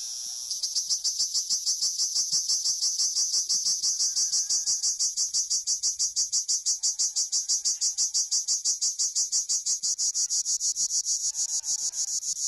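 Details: Cricket heard while herding Honamlı goats, giving a continuous shrill, high-pitched pulsed trill with even beats of about three per second throughout.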